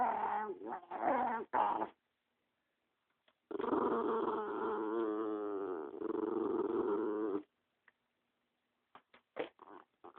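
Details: Protective male dog guarding the dog next to him, growling at an approaching person: a few short rough grumbles, then a sustained four-second throbbing growl, ending in scattered clicks and snorts.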